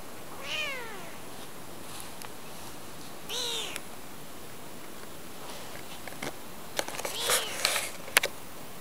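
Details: Domestic kitten under a month old, indoors in rural Japan in spring, crying as it follows and climbs into a palm: two high, arched, harmonic meows about three seconds apart, then soft clicks and rustling handling noises.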